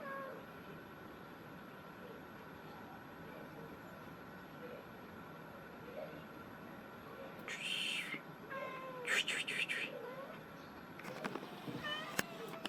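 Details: A black cat in Himachal Pradesh, India, gives several short, bending meows after a long stretch of steady background hum and noise, then a few more wavering cries near the end.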